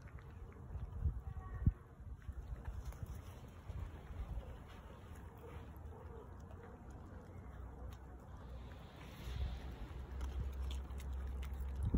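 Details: Low rumbling handling and wind noise with scattered faint knocks, no clear animal voice.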